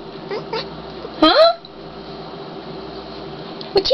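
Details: Black cat Sylvester, indoors and upset at things he sees outside, likely birds, gives a single short harmonic call that rises then bends down, with a fainter note near the end, while a person talks softly to him.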